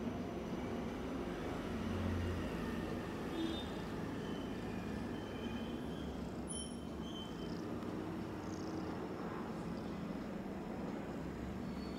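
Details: Continuous low mechanical rumble resembling a passing train, with a few faint tonal squeals and no clear animal voice.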